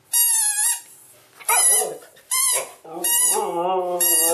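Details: Pet Siberian Husky, filmed while growing up, giving high pure whining yelps in quick bursts, mixed with rougher, warbling howl-like moans that rise and fall. Indoors.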